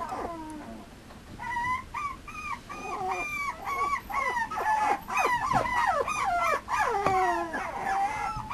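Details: Mame Shiba Inu puppy, a male, bred in Japan, giving a run of high whimpering yips and whines, many short rising-and-falling cries repeated roughly twice a second, growing busier toward the end.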